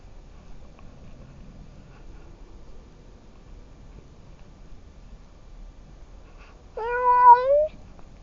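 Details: Domestic tom cat on an outdoor stroll through fields, recorded by a camera on his collar; near-silent quiet background, then one clear rising meow near the end, lasting under a second.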